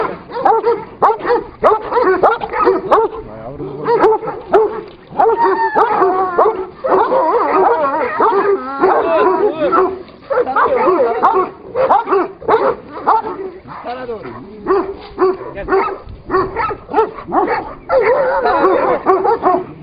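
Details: Kangal dogs locked in a fight, giving dense runs of gruff barks, snarls and whimpering yelps in quick, irregular bursts, with brief human voices in the background.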